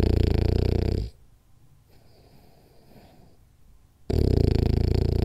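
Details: Deep, rattling snore from Rolly, a sleeping French Bulldog, followed by about three seconds of faint breathing and then another loud, vibrating snore.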